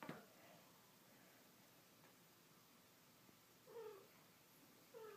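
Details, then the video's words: Kittens, a tortoiseshell female, a tabby male and a Himalayan female, playing with each other and their mother indoors; two short, faint, slightly falling meows near the end over a quiet hiss. "Buckets o' Kittens"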